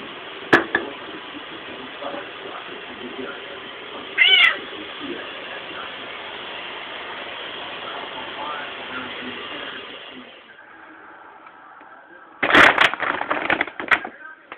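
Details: Milo the house cat, eager for Fancy Feast food, lets out a clear harmonic meow early on. After a quieter stretch, another meow comes mixed with clattering and bumping sounds. Faint speech and room noise are present throughout.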